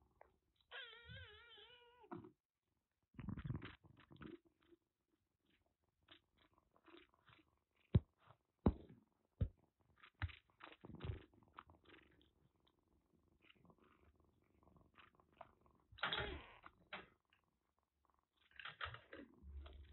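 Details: Kitten saved from record rain in western Japan with a severe cat cold, recovering under treatment in Kagoshima, lets out a drawn-out high meow, then rustling, thumps and clicks fill the room.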